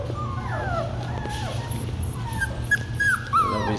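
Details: Young Labradoodle puppies, a few weeks old, making thin, high, whistled whimpers that slide up and down, several overlapping over a steady low hum, with a man speaking nearby.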